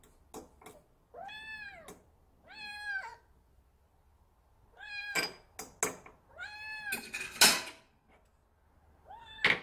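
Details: Odd-eyed short-legged Munchkin kitten Sinbi, an indoor female pet born July 2018, mewing in drawn-out, bowed cries roughly every second or two, mixed with knocks and clattering household noises.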